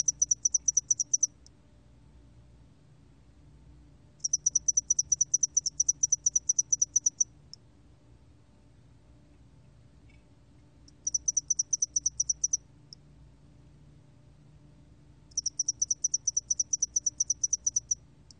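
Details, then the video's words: Spotted-wing hairy cricket, recorded by Korea's National Institute of Biological Resources in 2020: high, clear chirp trains of rapid ticking pulses lasting one to three seconds, separated by silent gaps of about three seconds, over a faint low hum. "점날개털귀뚜라미, 여러번 듣기, 곤충소리"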